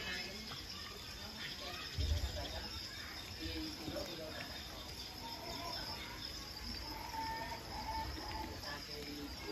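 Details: Edible crickets at an insect farm raising about six million crickets for alternative protein; a dense, continuous high shrill chorus of countless chirping insects over low rumbling background noise and brief clattering.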